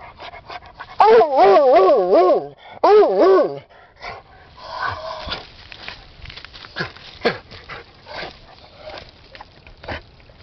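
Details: Ten-year-old Redbone Bluetick Hound Rusty after something hidden in a hole in an underground stream; two loud, undulating, wobbling bays, followed by softer sniffing, scrabbling and low murmurs.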